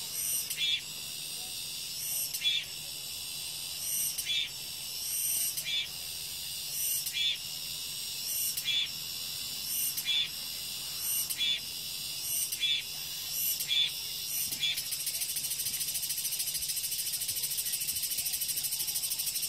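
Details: Cicadas buzz in a steady high whine with regular rasping pulses every second or two, then merge into an unbroken sizzling drone for the last few seconds.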